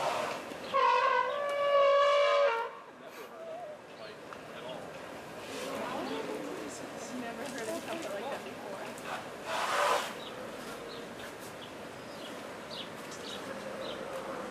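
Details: Asian elephants, a playful pair at the Cincinnati Zoo; a loud, brassy, harmonic trumpet blast holds steady for about two seconds near the start, followed by visitors chatting and general crowd noise.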